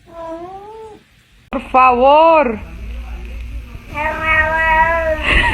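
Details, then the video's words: Kitten meowing three times, part of a funny-cats compilation: a steady mid-pitched meow, then after a short pause a louder arched meow rising and falling, then a longer, flatter, drawn-out meow ending in a brief noisy burst, indoors. "kitten meowing cute"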